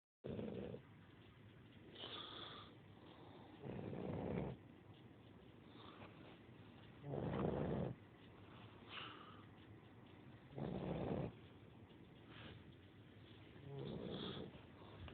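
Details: Sleeping puppy snoring: soft, breathy bursts roughly every three to four seconds, each about a second long, with quiet pauses between and a faint higher rasp on some breaths.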